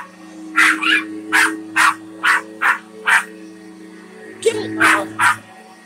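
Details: A very excited female Australian Shepherd attacks a vacuum cleaner, giving short, harsh yelps about two each second, with a brief pause before a final cluster, over the vacuum's steady motor hum; 1 May 2021.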